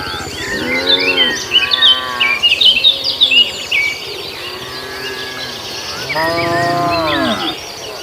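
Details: Tame cattle herd crossing a field toward their pen and eating grass; a few wavering moos open the recording, a quieter stretch follows, then one long moo near the end, with busy bird chirps throughout.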